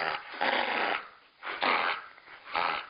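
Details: Pet female Akita growling during rough play as someone sits on her and pretend-bites her: three rough, noisy growl bursts roughly a second apart, each lasting about half a second, indoors.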